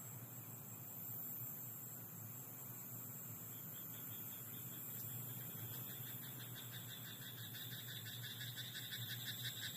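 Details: At night in a rice paddy, a frog gives quick pulsed croaks that build from the middle to the end, soft and rattling, set against continuous low hum and hiss.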